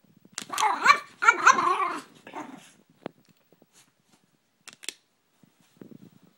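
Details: A Brussels Griffon named Gracie, upset by a water bottle, lets out two loud wavering growl-barks close together near the start, followed by quiet clicks and scattered faint noises.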